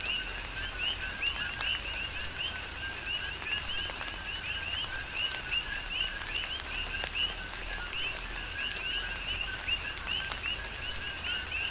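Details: Rhythmic chorus of coqui frogs, Big Island of Hawaii, singing through a tropical downpour: bright two-note rising whistles repeat without pause across the whole stretch, with rain hiss and intermittent heavier drop strikes.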